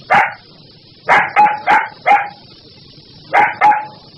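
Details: Dog giving loud, ferocious barks, singly and in quick pairs, each with a ringing tone, over a continuous high background hiss.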